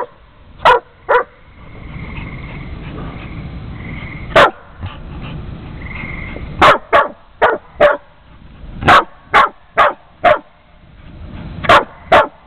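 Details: Jamie barking at Houston, another dog: a few sharp barks, a quiet stretch with thin whining tones, then a rapid, uneven volley of loud barks, often two or three in quick succession.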